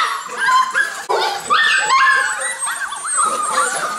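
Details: Golden Retriever puppies in a litter: many overlapping high whines and yips, sliding up and down and crowding over one another without pause, with a brief gap near the one-second mark.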